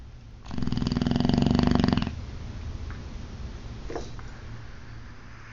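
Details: Boxer dog named Ozzy snoring loudly while asleep indoors: a single long, rattling inhaled snore of about one and a half seconds with fast vibrating pulses, then quieter breathing and a faint squeak in a small room.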